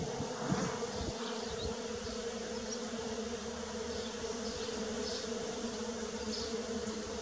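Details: Early-spring bees create an unbroken, even buzzing drone that holds steady throughout, with a few soft crackles near the start.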